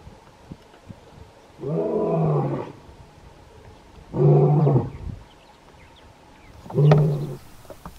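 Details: A lion in the Kgalagadi (Kalahari) gives three deep, rumbling roars, each shorter than the one before; lions roar mainly to proclaim territory and locate pride members.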